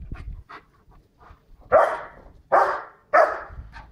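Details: White Swiss Shepherd named Tina, running about and barking loudly to warn people walking their dog behind a wall; three strong harsh barks spaced under a second apart after soft panting and faint sounds.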